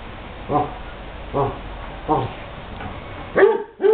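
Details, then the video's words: Basset hounds playing at the Light From The East Kennel, giving soft, short woofs roughly every three-quarters of a second, ending in two louder, sharper barks over a steady low hum. "basset hound play"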